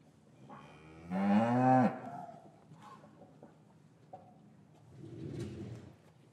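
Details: Cattle in a traditional English cattle yard on a winter's afternoon, calves separated from their mothers; one loud, drawn-out harmonic moo rising then falling over about a second, followed by quieter shuffling and a softer low lowing near the end.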